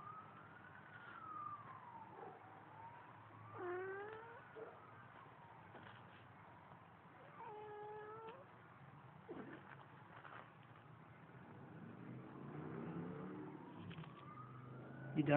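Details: Domestic cat Baba, said to love water and sing, filmed on a Samsung Galaxy; a few separate meows, one short and rising, one longer and steady, beneath a wailing siren that rises and falls in the background.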